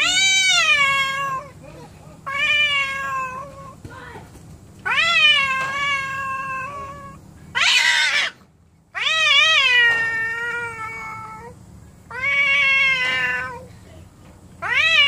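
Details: Indoor cats that are angry and not caring toward each other: a run of seven loud, bent, wailing meows with bright harmonics, one harsh hissy burst near the middle, steady low hum beneath.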